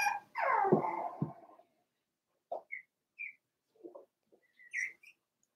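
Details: A four-week-old Cavalier King Charles Spaniel puppy from Daisy's litter in an indoor pen. It gives one loud whine that slides downward, then falls quiet. Scattered faint squeaks and chirps follow.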